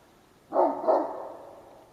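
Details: Large dog barking out of boredom into the sky, facing away from the person nearby, 9:30 am in late November: a double bark, the second slightly weaker, trailing off.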